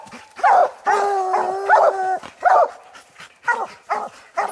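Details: Coon dogs treed on a raccoon, old Lucky, Mossie and young Star, let out a long drawn howling bawl, followed by sharper single barks repeated around once per second.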